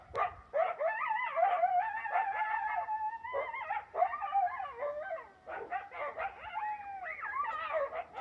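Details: A pair of wild coyotes, one larger than the other, near a backyard and hard to see behind bushes, howl together in high, wavering, overlapping tones broken by sharp yips, with a loud dog whistle.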